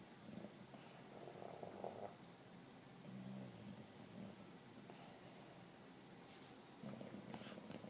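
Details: English Bulldog, two years old, sleeping on the couch and snoring: soft, low rumbling breaths in short bursts, with faint hissy noises near the end.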